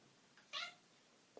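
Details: Cat talking to its humans, giving one brief high chirp-like meow, with a faint tap just before it and another soft knock at the end.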